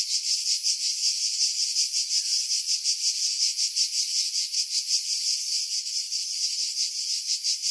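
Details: Cicada chorus from pines at Pefkos Bay, Skiros, Greece, July 2018, heard with a Sony camera and external mic; high buzzing hiss throbbing in quick regular beats, slightly uneven in loudness, wind noise removed.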